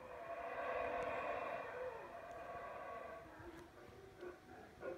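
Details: Howler monkeys calling in the background at the palace ruins of Palenque: a drawn-out, raspy roar with a steady harmonic band holds for about two seconds, then fades into softer, broken murmurs and faint clicks.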